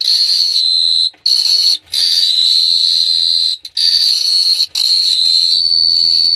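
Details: Night chorus of crickets at Phteah Prey: an unbroken shrill trill held at one high pitch, interrupted by four brief pauses, with a faint low hum near the end.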